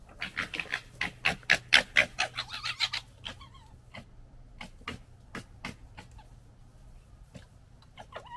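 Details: Red fox gekkering during fighting among the 2021 litter: rapid, harsh, stuttering chatter in dense bursts for three seconds, then scattered sharp clicks and pulses that fade in loudness.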